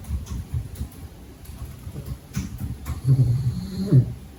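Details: A little pug puppy sleeping through the day indoors, snoring in low, rough rumbles and snorts that swell into louder grunting breaths near the end.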